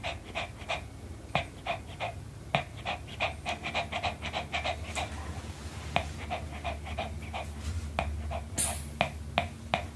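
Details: Pomeranian dog enjoying an apple: steady rhythmic panting breaths, about three per second, mixed with crisp bite clicks, with a brief hiss near the end.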